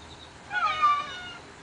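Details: A house cat asks for breakfast with one clear, drawn-out meow that swells and then fades, over quiet indoor background.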